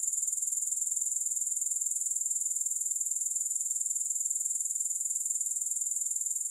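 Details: High, shimmering grasshopper trill with a regular, fast pulsing beat, loud and uninterrupted, without music or other sounds.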